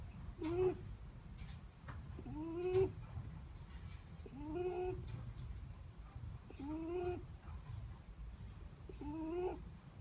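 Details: Sleeping Netherland Dwarf rabbit snoring: short squeaky whistled tones that rise slightly, each wrapped in a breathy rasp, repeating about every two seconds over a low steady indoor hum.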